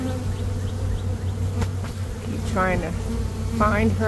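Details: Honey bee swarm in early May, as a beekeeper works to catch it: an even, deep droning buzz fills the clip, and a man's voice speaks briefly near the end.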